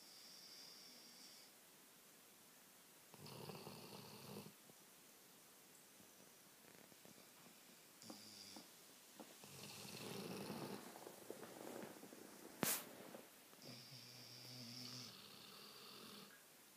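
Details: Pair of sleeping Labradors on a sofa trading snores: long hoarse breaths with thin whistled tones around 3, 8, 10 and 14 seconds, a sharp click near 13 seconds, quiet room between breaths.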